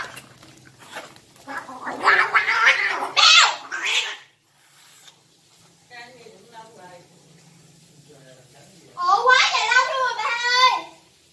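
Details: Two domestic cats, described as brothers, in a fight: a harsh noisy growling hiss, then quieter wavering sounds, ending with a loud tremulous yowl that wobbles up and down.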